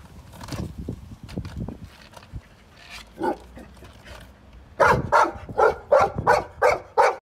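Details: Golden Retriever, a pet dog, barking at skateboards: low grunting, rumbling sounds at first, a lone bark, then a fast run of about eight sharp barks in the last two seconds.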